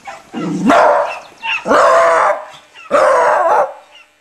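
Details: Toby the Beagle barking: three loud, drawn-out baying barks about a second apart, each with a rough, howling quality, the first starting with a short low yelp.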